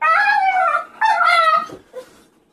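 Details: Female Staffordshire Bull Terrier responding to the offer of walkies with two long, high, falling whines, each about three quarters of a second, followed by a short soft whimper.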